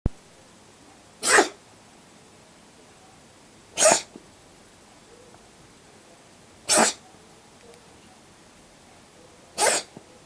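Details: Cat carrying cat flu virus, sneezing nonstop and seeming to suffer, recorded to show a vet: four sharp, explosive sneezes spaced about every three seconds in a quiet room.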